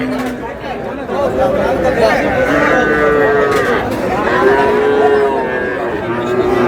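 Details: Several young cattle, bulls and heifer calves, at a busy Faridpur market on 15 May: overlapping sustained moos, some bending downward, with a babble of human voices throughout.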